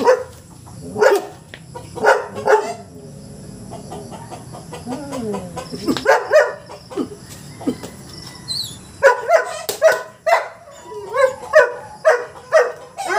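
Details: A black mask Belgian Malinois barking on alert: loud, sharp barks in short bursts, single and paired early on, then a quicker run of repeated barks over the last few seconds, with quieter stretches and faint background tones between.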